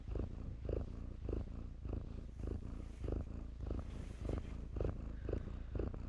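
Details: Domestic kittens playing in blankets, purring in a steady low rumble that swells and fades with each breath, roughly every half second, close and clear.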